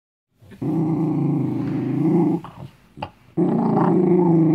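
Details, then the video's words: Dachshund growling while scared as it goes to eat a homemade treat: a low, rough, sustained rumble lasting about two seconds, a short break with a brief snort, then another steady growl. "닥스훈트 수제간식 먹으려고 으르렁"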